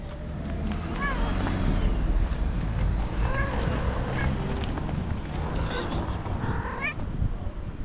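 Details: A male stray tabby cat vocalises as he is touched: brief bent meows and chirps come at irregular intervals, three main calls spread over several seconds, against constant low-pitched rumble and faint voices.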